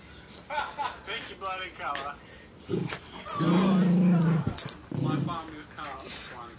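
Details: A female Great Pyrenees plays with her favorite stuffed sloth toy, letting out a low, steady growl-like moan lasting about a second, with shorter grumbles before and after, while people talk and laugh nearby.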